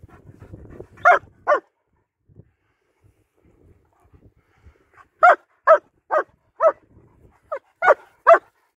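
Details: Winter wander in Hawick, Scotland with two German Shepherds, Nico and Zeeva, filmed on a Samsung S23 Ultra: soft low rustling, then two quick barks, a lull, and a burst of about seven sharp barks in rapid succession.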